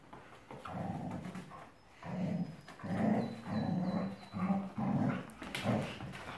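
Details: Pet dog growling during a game of tug-of-war in a small room, steady low rumbling growls repeated in bursts roughly every half second to a second, with scuffling noise and a faint high whine in the background.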